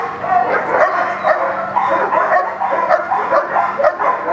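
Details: A steady volley of rapid barks, about two per second, from young German Shepherd Echo while practicing blinds in a Schutzhund 1 protection routine; the barking ends abruptly.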